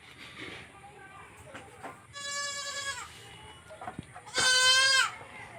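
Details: Baby goat on a farm bleating: two drawn-out, quavering bleats with rich stacked harmonics, the second louder and more strained, after quieter murmurs and shuffling sounds.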